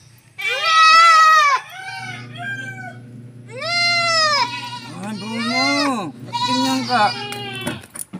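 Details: Goat kids being injected with 1 ml of B-complex cry out in long quavering bleats, one rising and falling sharply, while people talk and a low hum continues underneath.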